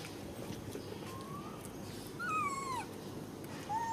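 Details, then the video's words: Baby monkey screaming loudly after standing up: thin whistled wails, one rising, then a stronger squeal that slides downward, and a short final cry, over a steady low rumbling background. "Why did baby monkey Ramy stand up and scream so loud like this?"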